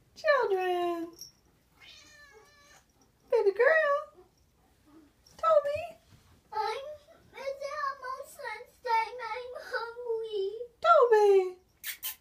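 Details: Pet cats in a kitchen demanding food: a run of insistent meows, some falling and some wavering or rising, coming close together near the end, with a person speaking softly in a small indoor room.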